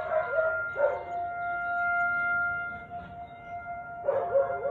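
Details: Siberian Husky barking on 13 March 2021 at 4:17 pm: a short harsh bark at the start, another just before one second and a third near the end, over a steady high electronic whine.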